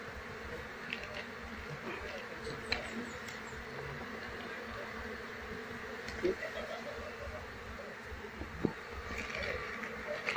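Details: Wild Apis cerana colony, Asian honey bees, being moved into a hive box after their queen is caught; a dense, steady droning hum of many bees with occasional sharp clicks and faint high chirps above.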